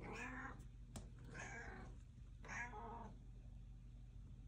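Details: House cat wanting to go outside, giving three drawn-out harmonic meows about one second apart, each rising then falling, with a sharp click between the first two and steady low hum indoors.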